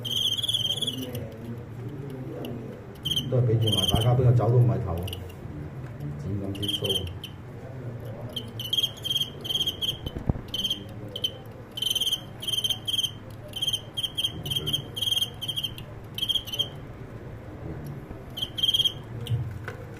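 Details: A cricket fight where the cricket that was ahead ends up defeated. Clear high chirping comes in irregular bursts across the whole stretch. A man talks in Cantonese near the start, and there is a sharp knock midway.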